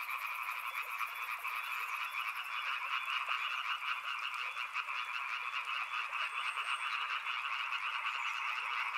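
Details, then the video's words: Many frogs calling together by a river, recorded for relaxation: a dense, unbroken croaking chorus in two steady pitch layers, finely pulsed throughout. A thin high insect-like whine sounds over the first two seconds. "Frog Sounds | Soothing sounds of river and frogs"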